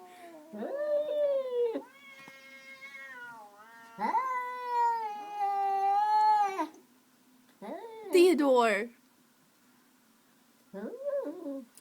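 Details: Indoor cat yowling at a rival cat on the other side of a window in the morning. Drawn-out moaning yowls rise and sag in pitch, with a short harsh hiss near the end and a person talking nearby.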